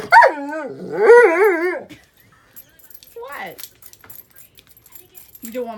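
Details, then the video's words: Dog demanding attention and wanting to play while its owner works; long, wavering, whining howls that rise and fall in pitch, then a shorter whine and a brief low yelp amid quiet background rustling. "Demanding Dog"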